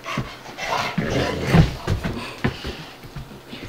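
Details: Ruby, a five-month-old Dogue de Bordeaux, and Bubba, a two-year-old American Bulldog, at play indoors: quick, uneven huffing pants, deep and breathy, with short sharp bursts.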